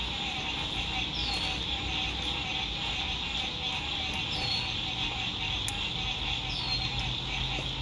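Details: Frog song at a lakeside camp at sunset, spring 2021, good weather: unbroken shrill trilling chorus with three downward-sliding whistles spaced a few seconds apart, low road rumble underneath and one sharp tap.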